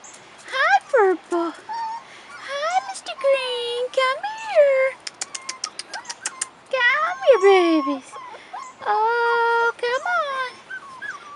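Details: Rottweiler puppies, 4.5 weeks old, outside for the first time: a string of high, arching whines and yelps with rich overtones, some rising then falling, several overlapping, while a person keeps calling and coaxing them.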